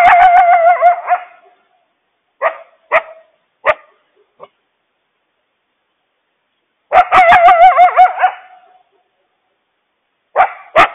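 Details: Coyotes frantically yipping and howling to warn the family about a huge loose stray dog. Loud wavering, quavering howls with rich overtones alternate with short sharp yips, followed by a second long warbling burst and more yips near the end.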